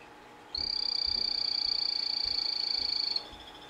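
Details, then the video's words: A captive male Epipedobates tricolor of the 'Morospunga' locality calling: one sustained, high, buzzy trill of rapid even pulses lasting about two and a half seconds, loud over a faint low hum. "Epipedobates tricolor 'Morospunga' calling"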